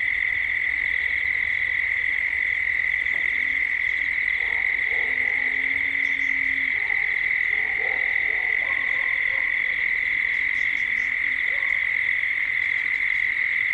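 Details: Cicadas calling at dusk in Gippsland, Australia: a steady, unbroken buzzing drone holds a single high pitch throughout, while lower hooting and croaking calls rise and fall beneath it.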